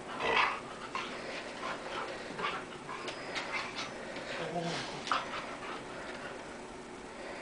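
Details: Dogs in a play fight, one of them a black dog named Henny; rough growling and short whimpering yelps come in bursts through the stretch, with a person's voice heard between them.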